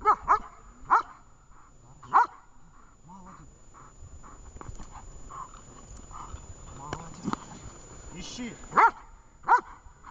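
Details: Training session with the dog Vesta, Horlivka, 20 July 2019: a few quick barks at the start, a long middle of human speech and soft rustling, then two more crisp barks near the end.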